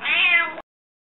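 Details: Rika, a hungry domestic cat, gives a single loud meow, slightly rising then gently falling, lasting about 0.6 seconds before abrupt silence; owner has just urged her to talk.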